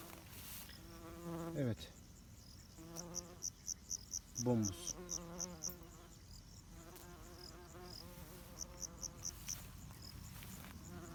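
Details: Bumblebee at an apiary, described as a greenhouse-reared bee, buzzing in low droning flight: the hum swoops downward twice as the bee passes close. Steady rhythmic pulsing chirps of crickets or other insects continue throughout.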